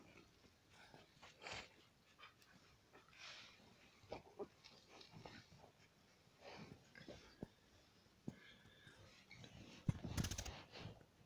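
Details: Five-day-old Alaskan Malamute puppies indoors, making soft wheezy squeaks and grunting breaths in scattered short bursts, with a louder scratchy rustle near the end.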